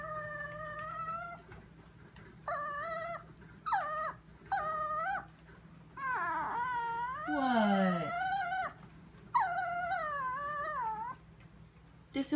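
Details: In a kitchen at 2am, the Chihuahua Sophia whines while staring at something; repeated high, nasal whines, short and level at first, then a long wavering cry sliding downward near the middle, over a steady low hum.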